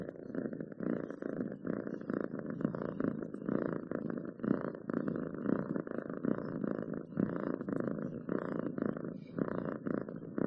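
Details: Cat purring close up: a dense, buzzy low vibration that throbs in even breathing cycles roughly every second, continuous and contented-sounding, nothing else clearly audible.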